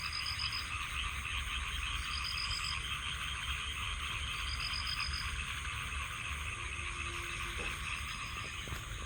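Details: Countless frogs calling at night beside a rice paddy next to a village home, a dense continuous chorus with crickets adding a steady high shrill trill and short repeated high chirps throughout.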